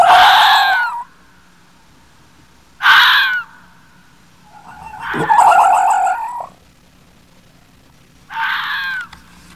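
A red fox gives harsh, hoarse screaming calls, each about a second long, spaced a few seconds apart.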